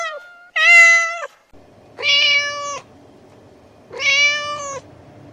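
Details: Domestic cat meows played to call cats over: three drawn-out harmonic meows roughly every one and a half to two seconds, steady in pitch, with a faint low hum between calls.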